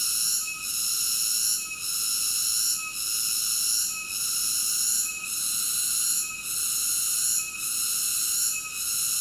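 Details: Cicada song: a steady, high, buzzy drone made of several layered tones, swelling and dipping in a regular pulse about every 1.2 seconds, with no other sounds.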